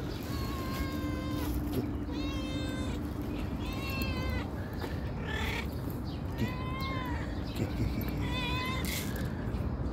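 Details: Meowing calico cat coming when called: five short, tonal, slightly arched meows in quick succession, roughly every one to two seconds, with soft rustling and a constant low background hum.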